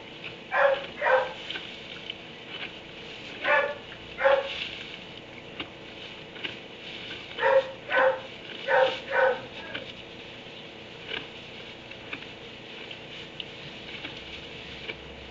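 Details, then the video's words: A dog shut in a kennel in a barn at 3am barks in short bursts: a pair near the start, another pair around four seconds, then a quick run of five or six barks near eight seconds over a steady background hum. "Barn 3am barking dog in kennel"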